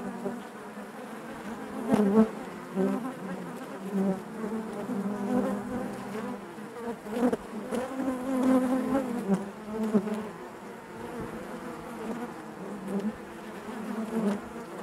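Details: Honey bees inside their hive, a dense steady drone centred low with layered harmonic bands, swelling and fading in irregular surges as many wings hum together; occasional sharper passing buzzes.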